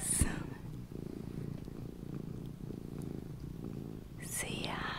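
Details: Luna, a small pet cat, purring to help listeners relax and fall asleep: a steady low rumbling purr with fine rapid pulsing throughout, a soft click at the start and a brief whispered sound near the end.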